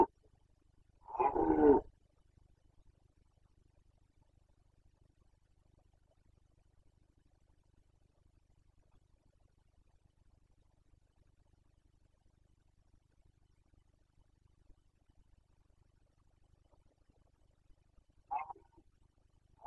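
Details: Rutting Carpathian stag, 2021 breeding season, its boncănit bellow: a single loud, rough roar lasting under a second near the start, then a long quiet stretch before a fainter, shorter answering roar at the end.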